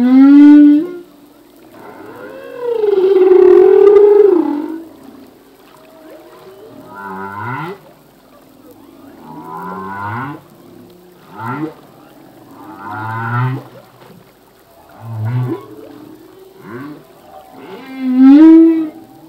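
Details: A male humpback whale sings off Hawaii, recorded in 1998: long moaning tones, rising whoops and low grunts in slow, varied phrases.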